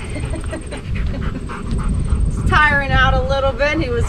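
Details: Louie, a four-year-old English Labrador in a two-week obedience training program, tiring during leash-walking practice, gives a drawn-out, slightly falling whine over a trainer's speech and rustling handling noise.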